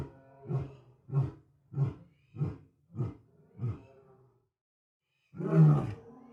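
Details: Lion roaring, with six deep, throaty grunts about every 0.6 seconds that fade in strength, a pause, then one louder, fuller final roar. Low and resonant, with no other sounds.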